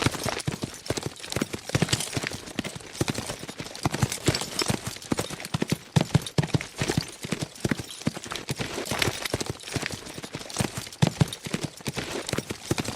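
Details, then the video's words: Galloping horses at speed: a dense, steady stream of heavy hoof strikes and clattering thumps rolls on without pause, loud and driving throughout, with no whinnies. "Fast Horses Sound Effect"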